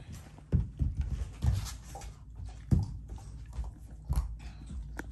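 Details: Indoor play fight between a Shiba Inu and a black Labrador over a piece of ice. The Shiba growls without anger: low, rumbling bursts come in quick uneven pulses, with scuffling and thumping in a small room.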